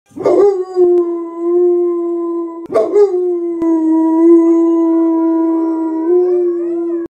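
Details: A Boxer gives two long, steady howls copying dogs on TV, each opening with a rough burst before settling into a sustained tone.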